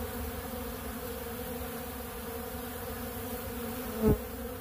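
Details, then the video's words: Many honeybees buzzing while feeding on pollen from a big blue feeder; an even, dense hum of overlapping wingbeats, with a short knock or bump toward the close. "Therapeutic Treatment Sounds Of The Honeybees"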